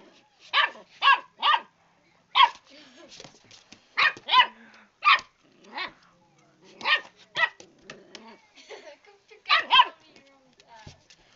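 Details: A puppy scuffling with a fighting-back cat barks in a fast, uneven series of high, yappy barks, often doubled, with small growly and whiny sounds between bursts indoors.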